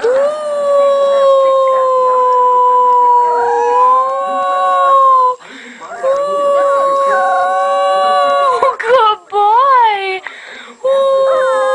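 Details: Long steady puppy howl held for about five seconds, then resumed after a brief break, breaking into quick wobbling yips near the end, with some human voice in the background.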